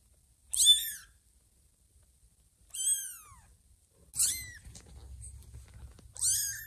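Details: Two kittens about two weeks old, eyes just opened, crawl toward Ginger, mistaking her fluffy coat for their mother Lima and seeking milk; four high, thin, downward-sliding meows about two seconds apart, with faint rustling indoors.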